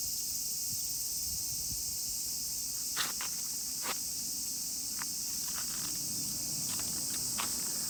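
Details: Crowd of cicadas keeping up a continuous shrill, high drone on a walk with a miniature pinscher, with several sharp clicks and footstep knocks standing out over the unbroken buzzing.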